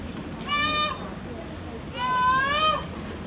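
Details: Young giant panda Jin Shuang at the Chengdu Panda Breeding Center calling out in frustration while too small to climb onto a wooden platform; two drawn-out, harmonic bleating cries, the second longer and slightly rising, over a murmuring background.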